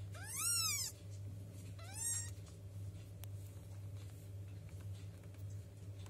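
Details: Kitten two weeks old meowing for milk: one loud, long arched meow followed by a shorter, fainter one, then quiet room with a low electrical hum and a faint click.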